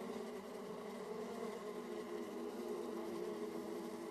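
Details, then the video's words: Honey bee colonies at their hive entrances in Austria, 31 March 2014, 18°C: a rich, unbroken buzzing drone of numerous flying bees, several overlapping tones, steady throughout. "Sound of Bees at Beehives Entrance"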